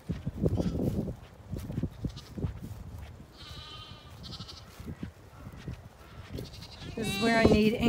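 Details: Zwartbles ewes on a regenerative farm in County Kilkenny, Ireland, rushing across at evening to their field and meal; a few short, wavering bleats midway, then a louder burst of overlapping bleats at the end, over a low rumble of movement and a person's voice.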